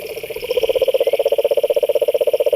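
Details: A frog in a pond gives a quick, even rattling croak, pulses repeating about ten times per second and growing louder, with a faint high whine behind it.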